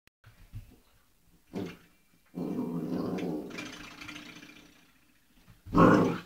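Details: Old English Sheepdog puppy, 8 weeks old, playing indoors with a doorstop: a few short soft grunts, then a sustained rough growl lasting about two seconds that fades out, ending with a loud burst of noise.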